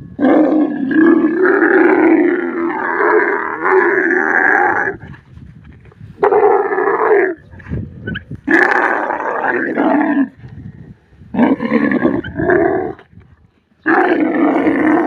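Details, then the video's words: Camel in the desert producing a series of loud, throaty, gurgling roars in uneven bursts of one to five seconds, broken by brief quieter gaps and short snorting noises. "camel voice sounds"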